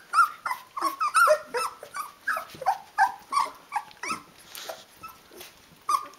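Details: Several sixteen-day-old Rhodesian Ridgeback puppies calling for their mother to feed them, giving a rapid overlapping chorus of high whines and squeaks, roughly three per second, briefly pausing before resuming.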